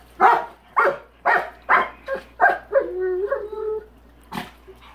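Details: Rottweiler barking at a big rock in his swimming pool, which he dislikes: six loud, sharp barks in quick succession, then a man's voice speaking and one more bark.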